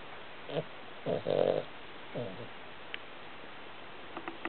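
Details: Cavalier King Charles Spaniel asleep and snoring, a Chihuahua snuggled against it; a run of short, raspy, breathy snores, the longest one in the middle, spaced about half a second to a second apart, with faint ticks near the end.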